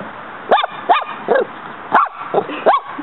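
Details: A pet dog in a yard, sparring with a praying mantis, lets out five quick high-pitched yappy barks, each a sharp rising-falling burst, about every half second.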